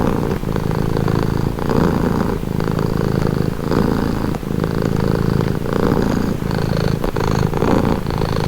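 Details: Steady purring from a domestic cat: a grainy low hum broken into regular breath cycles close to one second apart, brief soft ticks marking the transitions, otherwise quiet surroundings.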